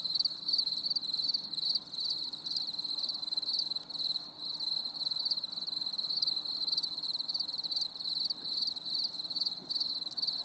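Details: On a stormy summer evening, a cricket chorus keeps up continuous shrill, pulsing chirps in rapid rhythmic bursts, layered with fainter high shimmering trills over a quiet low background hum.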